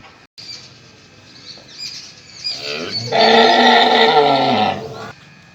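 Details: A mother cow gives a loud, hoarse, drawn-out moo at feeding time, calling her calf to feed.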